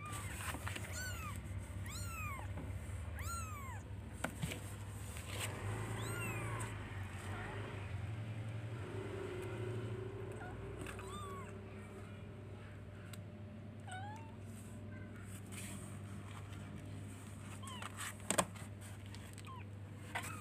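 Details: Baby kittens looking for their mother, meowing repeatedly in thin, high, arched cries, clustered early then sparser later, with low hum, occasional knocks and a woman speaking Indonesian.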